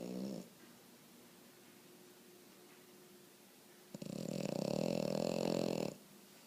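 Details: Sleeping French Bulldog snoring, with one long, rough, rasping snore lasting about two seconds after a brief snort at the start and quiet breathing between.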